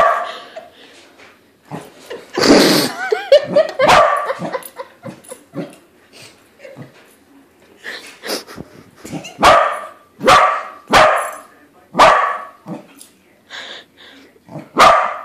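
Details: Pet corgi reacting to a corgi-shaped balloon, barking again and again: an early burst of noisy yaps, then a steady run of sharp, short barks roughly every second, with faint voices underneath.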